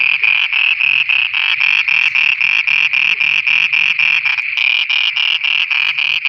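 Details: Frogs at night in Pakistan: harsh, buzzy croaks repeated quickly, about three to four each second, with a short pause midway before the rhythm resumes.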